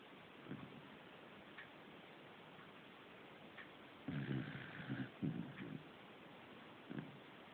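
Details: Snoring from Fujiko, a household corgi: a long, low, pulsing rasp that breaks into several throbs partway through, with softer breaths before and after against a quiet background hiss.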